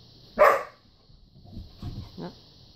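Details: One of two poodles at play with a ball gives a single loud, sharp bark, followed by a couple of soft low grunting sounds, over a constant high hum.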